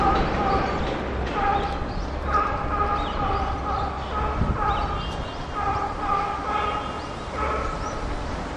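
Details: Captive chimpanzee Puteri's cry, recorded at Tennoji Zoo, Japan, December 2021. Drawn-out tonal screams with stacked harmonics repeat roughly every second, rising and falling, over constant low machinery hum and visitor voices.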